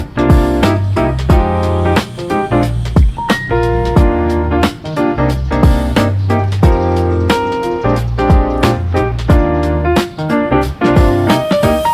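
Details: Loud jazzy piano and keyboard music with a steady beat and sharp percussive hits fills the whole recording, with no animal calls.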